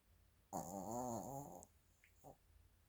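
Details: Chiroru, a female Maltese-Shih Tzu cross born 22 July 2017 (Maltese father, Shih Tzu mother), snoring indoors on 24 December 2024: one long, wavering, harmonic snore of about a second, then a softer short snort.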